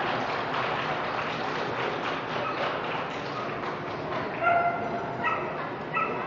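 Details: Bailey, a Toy Fox Terrier at the Brandon dog show on day 3 of the toy group final, gives three short, high, tonal whining yips late in the clip over a steady murmur of crowd noise in a large hall.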